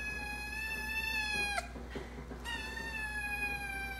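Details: Hungry Ragdoll cat meowing: two long, steady, slightly falling meows separated by a brief pause, over a constant low hum indoors.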